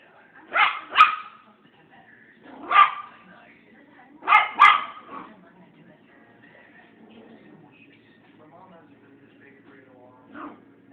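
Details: Young Maltese dog barking at a mirror, taking its reflection for a playmate. Five short, high yips come mostly in pairs during the first five seconds, then near silence with a faint low hum and one soft final yelp.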